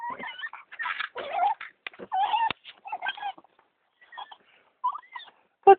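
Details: Rescued female dog from Turkey, excited as the car slows on arrival home, giving a jumble of squeaky whines, yelps and rough cries in rapid succession, then a few softer, sparser squeaks after a short lull.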